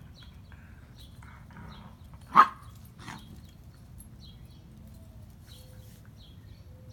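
A Cocker Spaniel gives one sharp bark followed by a softer second bark.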